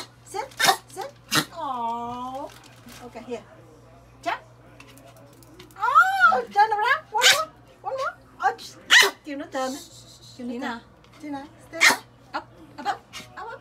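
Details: Pomeranian; bark; barking on cue to get treats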